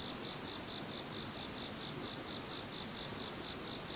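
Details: Insects calling after Typhoon No. 21 has passed: a dense, unbroken high chorus with a steady shrill tone, a higher hiss above it, and a faint pulsing trill just beneath, holding level throughout.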